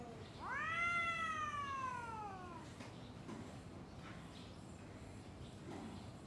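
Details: Two domestic cats facing off before a fight: one loud drawn-out yowl that rises sharply then slowly falls over about two seconds, followed by quieter background murmur and faint rustling.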